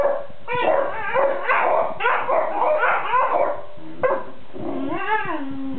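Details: A group of Basset Hounds, including a white and lemon female, mutter and complain while asleep: sliding moans, soft yips and a long wavering whine near the end, several dogs answering one another.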